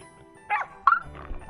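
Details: Angry farm dog in Hongcheon, Gangwon Province, South Korea, recently clipped, recognising a heron and chasing it away from the pond. Two sharp barks about half a second apart, then softer noises, over background music.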